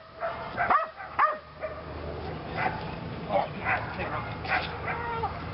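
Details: Lily, a female Belgian Malinois, in PSA bite training on leg sleeves for only her second time; two sharp, quick barks ring out early, followed by a stretch of human voices talking over lower yips and outdoor rumble.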